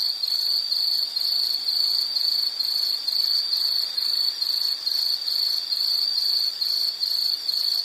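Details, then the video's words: High, thin insect chirps in quick pulses, a little over two per second, forming a shrill pulsing trill that continues steadily throughout, with faint high hiss behind. "Nature Sound of nature sounds scenery L · insect"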